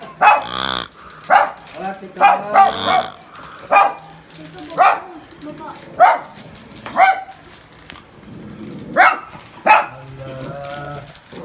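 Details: Toy poodles barking while scared of a pig: sharp, high yaps come in irregular bursts, several close together, with softer voiced sounds and faint talking between them.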